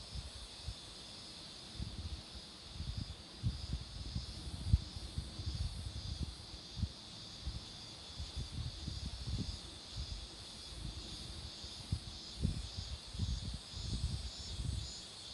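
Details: Roadside cicada chorus near flowering marigolds, a constant shrill buzzing band running without pause, while heavy low thumps and rumble from wind or vehicles come and go underneath.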